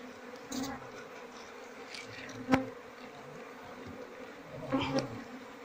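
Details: Asian honey bees from a queenless Apis cerana colony whose combs are full of honey and hold no larvae. A steady low hum runs throughout, with brief louder rustles and taps of hive handling.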